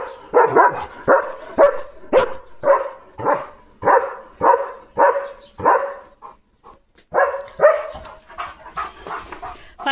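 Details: German Shepherd Leo on guard duty as his parcel arrives: a rapid, insistent series of deep barks, nearly two per second, pausing briefly before a final burst, with a person's voice faintly underneath.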